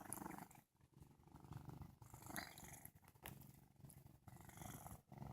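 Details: Just-woken male cat Sage purrs drowsily, a coarse low rumble rising and falling in breath-length waves of about a second, separated by brief quiet pauses and soft rustles.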